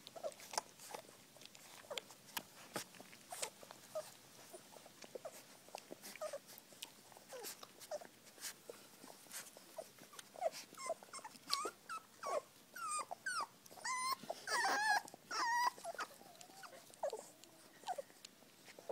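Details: Puppies being fed indoors: steady wet chewing and lapping clicks throughout, joined near the end by a brief run of high, thin whimpering whines that rise and fall.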